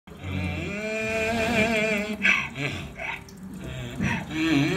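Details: A 29-year-old miniature donkey, 28 inches tall, brays with a long, wavering, nasal tone, then a series of harsh, gasping bursts.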